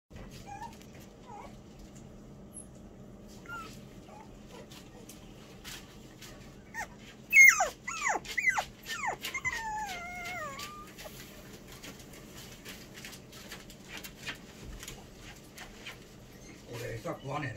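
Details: Toy poodle, a young female puppy, giving a burst of high, wavering whimpers and yips around the middle, thin rising and falling whines that fade into quiet low background hum.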